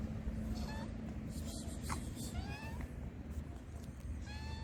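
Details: Hungry homeless stray cats being fed on the streets of Morocco; several short rising-falling meows near the start, middle and end, over a steady low hum with a person speaking softly in the background.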